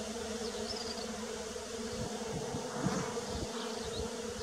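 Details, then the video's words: Bees buzzing in early spring, a continuous dense hum with a steady low drone and faint shifting overtones, plus light rustling. "Bee Sounds _ Early Spring"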